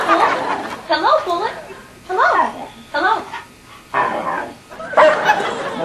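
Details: Pet dog making talking-like vocal sounds; short, modulated whining yowls in bursts of about half a second, five or so separated by brief pauses, with rising and falling pitch like speech.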